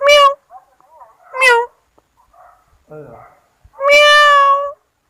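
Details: Kittens meowing indoors at home: a quick series of short meows, then a longer, steady, tonal meow at the end, with soft smaller squeaks and a low murmur between calls.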